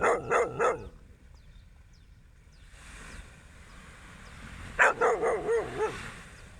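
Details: Sunrise beach walk with a dog barking: a rapid triple bark at the start, a quiet gap with faint surf-like hiss, then another run of about five barks.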